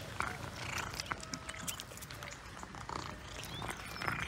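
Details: Cats eating fresh sprat with pleasure, recorded close up: steady wet chewing and crunching with sharp clicks and smacks throughout, over a low background rumble.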